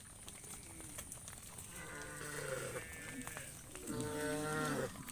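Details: Cows roaming in the fields, one calling to a friend: two mid-pitched, drawn-out lowing calls about two seconds apart, the second louder and richer, over steady rural background noise.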